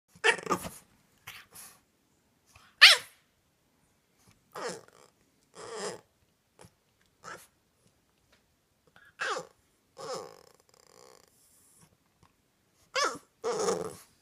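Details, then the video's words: Sweet French Bulldog at night, protesting being sent to bed early, making funny noises: short, breathy snorting and sneeze-like grunts in separate bursts, about one to two seconds apart, with silence between them in a quiet room. "Süße französische Bulldogge macht nachts lustige Geräusche"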